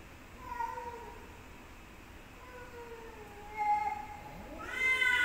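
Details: Domestic cats fighting: drawn-out wavering yowls that slide up and down, growing louder with a harsh rising wail near the end over low background hiss.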